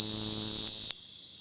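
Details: At night, a cricket's steady, high-pitched ringing trill sounds loud and unbroken, then cuts off abruptly.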